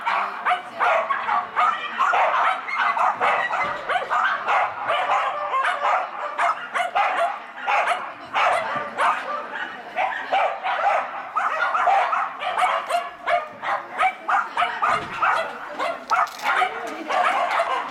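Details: Agility-running Schapendoes, Koppalainen, barking excitedly during an M3 class run at a Vekara Agility event on 12 February 2017; rapid bursts of short, rough barks follow each other in steady volleys with hardly a pause.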